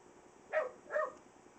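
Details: Young puppy dog making its first woof noises indoors: two short, soft, yappy barks about half a second apart over a quiet background hum.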